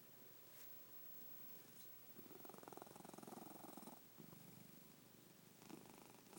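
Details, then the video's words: Sleeping pet cat gives a soft, fluttering snore of about two seconds, followed by fainter breaths, in a quiet room. "My snoring cat"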